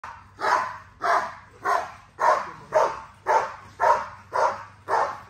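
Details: Female XL American Bully barking with drive during an exercise session, loud broadband barks repeated about twice a second in a steady, even rhythm, with a low hum underneath.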